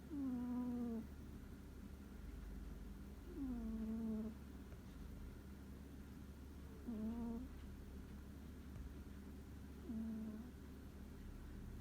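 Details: A deeply sleeping cat snores clearly, giving four nasal, whistling snore sounds, each sliding down in pitch, spaced roughly three seconds apart against a constant low background hum.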